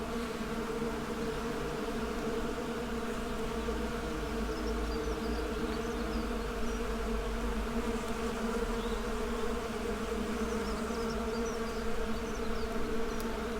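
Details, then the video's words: A mass of honey bees hums in a constant low drone, layered tones holding steady, with faint high chirps of distant birds appearing now and then. "Bee Symphony: Soothing Natural Sounds for Relaxation"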